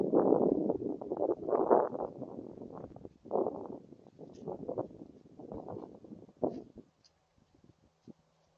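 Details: Two gray foxes communicating with each other: a run of low, rough, growly vocal bursts in irregular bouts, fading to a few faint clicks and sparse sounds near the end.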